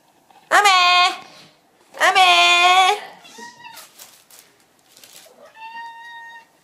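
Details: Ame, a pet cat indoors, answers when called and then cries out, startled by a plastic bag spread on the floor: two long, loud, strained meows, followed by softer short mews and quiet tones.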